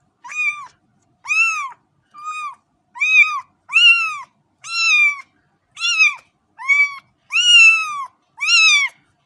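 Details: Ten short, high kitten meows come in a steady series over about nine seconds, each rising then falling, with brief silent gaps between them.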